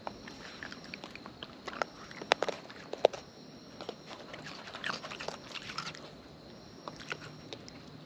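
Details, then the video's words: Wild raccoons eating close up, their chewing heard as sharp, irregular clicks and crunches, about eighty a minute, with soft rustling in between and a faint steady high hum behind. "Wild Raccoons & ASMR Chewing Sounds"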